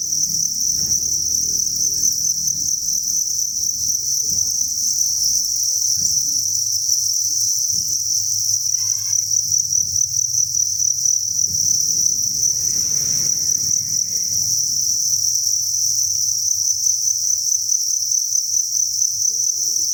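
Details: Thousands of crickets chirping inside an indoor cricket breeding farm, forming a dense, unbroken high shrill chorus that holds steady throughout, with low rumbling background noise and a brief faint series of short chirps midway.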